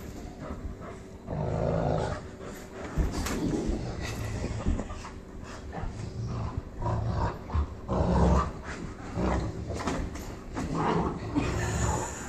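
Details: Cane Corso Hank tugging with his new girlfriend Loretta in Kansas City: sustained low, rough growling in waves over nearly the whole stretch, with scuffling noises throughout.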